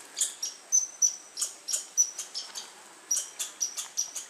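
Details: Squirrel calling on August 21, 2012: sharp, very high chips repeated about three times a second in an uneven rhythm, some with a thin whistled tail, over a quiet background.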